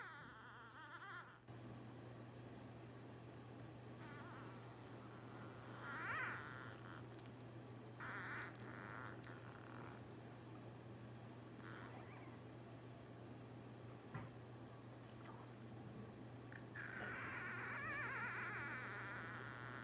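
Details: Blenheim Cavalier King Charles Spaniel puppies, twelve days old, from a litter of five born at New Year 2023. Faint, scattered short whimpers rise now and then over a steady low electrical hum, building to a louder cry near the end.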